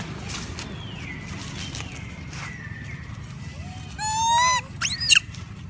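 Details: Several monkeys crying loudly from hunger for food: drawn-out falling whistled wails, then a loud harmonic rising-and-falling cry and a brief shrill squeal near the end, over a low rumble of outdoor background noise.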